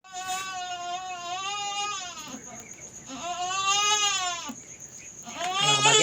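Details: Domestic goat, a young female giving birth for the first time in a backyard, bleating in long wavering harmonic cries, three drawn-out calls across six seconds, with a steady high electronic tone behind.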